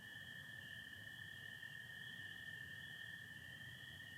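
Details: Night chorus of spring peepers with American toads in Michigan, April 24, 2025, stars and some cloud overhead; a steady shrill band of massed peeps holds constant while the toads' lower sustained trill hums beneath.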